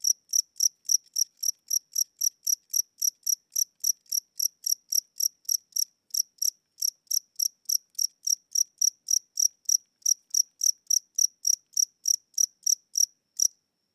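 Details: Aging house cricket at night whose weakening wings give a slowed chirp: a steady train of sharp, high-pitched pulses, about three to four each second, broken by one short gap midway.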